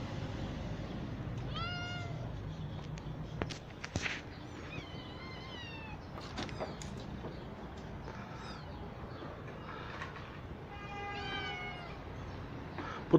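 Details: Kittens of street mother cats taken into a cat house, now grown healthy and under eye-drop care; repeated high meows scattered throughout, some wavering and drawn out, with thumps and handling noises over a background hum.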